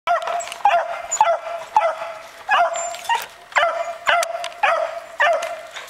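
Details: Puppies barking while chasing each other: rapid, high yapping barks in quick bursts, roughly two per second, each bright and ringing with a few fainter squeaks between.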